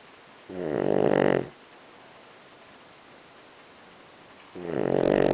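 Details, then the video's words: Boston Terrier pet dog in deep sleep, snoring: two loud, rasping, buzzy breaths, one near the start and another near the end, separated by about three seconds of quiet. "Snoring Beauty イビキ犬"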